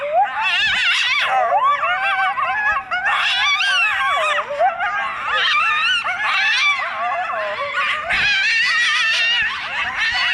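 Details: Two excited coyotes (Canis latrans) trade a tangle of wavering yips, whines and warbling howls in a happy greeting on seeing each other.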